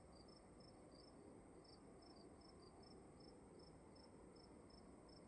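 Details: Indoor crickets producing a regular train of thin, high chirps at about three per second, a second caller occasionally slotting between them, set against quiet, steady background hiss.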